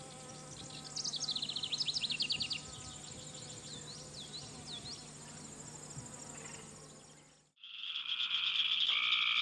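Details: Cope's gray treefrogs (Dryophytes chrysoscelis) give loud, harsh, fluttering buzzing trills in a late June–mid July summer chorus, with cricket frogs' rapid clicking notes like clacking ball bearings.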